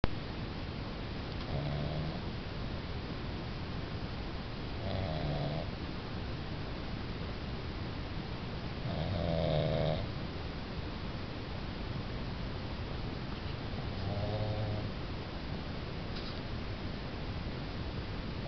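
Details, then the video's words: Sleeping pug snoring indoors: four rough, low snores with a faint nasal overtone, spaced about four to five seconds apart over a steady background hiss. "schnarchender Mops"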